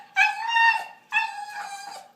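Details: Funny dog vocalising in two sustained, steady-pitched howling tones of nearly a second each, separated by a short pause, clear and tonal with rich overtones.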